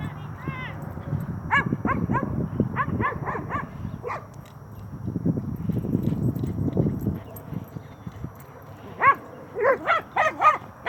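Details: Young Cane Corso, nine months old, at play with another dog: bursts of short yipping barks at the start and a rapid run of sharp barks near the end, with people talking and low rumbling in between.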